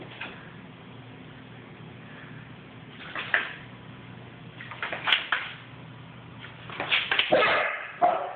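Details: A running Basset Hound puppy gives a few short, sharp, broken barks and higher yips at uneven intervals over a low background hum.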